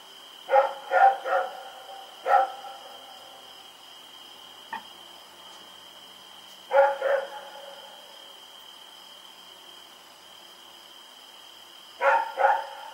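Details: Night barking by Rex, a dog running around on October 7, 2018: clusters of two or three harsh barks separated by long quiet gaps, one faint knock between, with a persistent tonal whine overhead.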